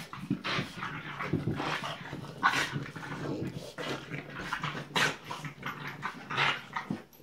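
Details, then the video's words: Two French Bulldog puppies, Tinkerbell and Woody, playing indoors: low rumbling growls and snuffling grunts in irregular bursts, with sharp scuffling clicks from their tussling throughout. "French Bulldog puppies, Tinkerbell and Woody playing."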